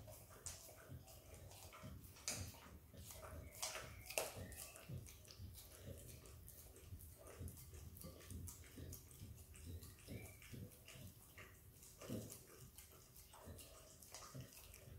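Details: Wet, rapid tongue clicks and smacks from a Kelpie x Border Collie puppy named Izzy eating peanut butter, dense irregular patter throughout with a faint constant background hum.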